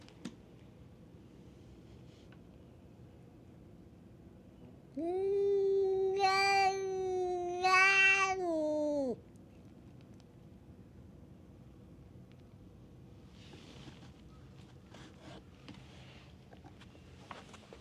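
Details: Quarrelling stray cats at a drinking spot on a Japanese cat island give a four-second sustained growling yowl with two sharp screechy bursts inside it, followed by quiet with faint rustling.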